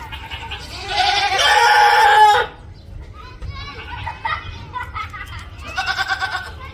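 A goat lets out a loud, harsh, human-like scream lasting over a second, followed by softer voices.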